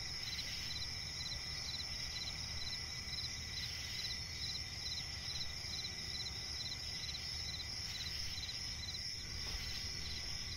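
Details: Crickets chirp steadily at night in a swampy forest, in a dense, high-pitched chorus of rapid pulses.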